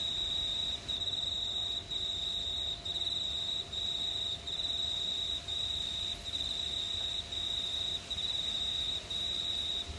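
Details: Crickets on a warm summer night in a quiet regional town in New South Wales, Australia: a steady, high, ringing trill broken by brief pauses about once a second.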